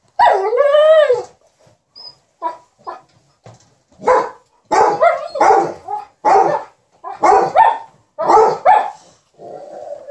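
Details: A pair of dogs, an Alaskan Malamute and a Golden Retriever, keep their ironing owner company with 'talk': an opening arching howl, then a rhythmic string of clipped, throaty woo-barks about every half second, ending in a low murmur.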